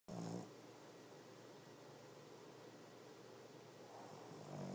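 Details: A female Boston Terrier napping indoors gives two low, rattling snores with a quiet breathy pause between them.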